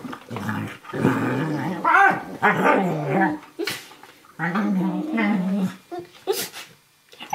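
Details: Play growling from Firenza, an 11-week-old Eurohound puppy, and Brio, a 4.5-year-old Nova Scotia Duck Tolling Retriever, wrestling on a lap indoors; fierce-sounding rolling growls in long bursts separated by short pauses and scuffling.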